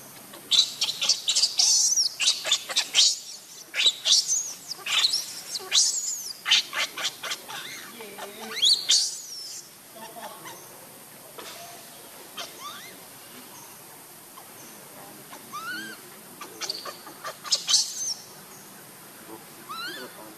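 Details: Baby monkey Lucie, hungry and begging for milk, cries in shrill, high squeals and chirps in bursts, dense for the first ten seconds and then sparser, with soft background noise.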